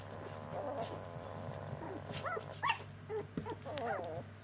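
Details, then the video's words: Border Collie puppies, a litter from one mother, making high wavering whimpers and squeals, several overlapping short rising-falling cries, with a steady low hum in the background. "Cuccioli di Maya Border Collie Puppy"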